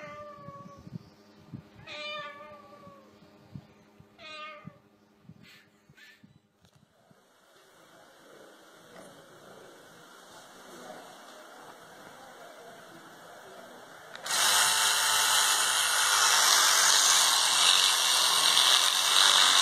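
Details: Domestic cat from a funny cats compilation giving three drawn-out, harmonic meows, each bending up then down, spaced about two seconds apart, followed by a steady hum and then a loud burst of broadband noise.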